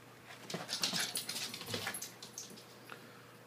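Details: Two dogs, The Dread Pirate Windlass and Angus, a fostered terrier, at puppy playtime in an office, playing tug of war; short high yips and whimpering squeals come in quick uneven bursts over a quiet indoor background.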